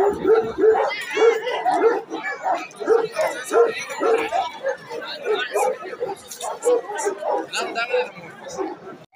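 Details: Champion Bully Kutta and Afghan Kochi cross dogs bark in a steady run of short, hoarse barks for the first few seconds, then more scattered barks, all amid constant talking by a group of people.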